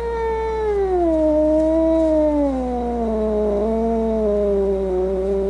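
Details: Angry domestic cat giving one sustained, low moaning yowl that slowly slides downward over about five seconds, tonal with rich harmonics and a slight waver, over a constant low background hum.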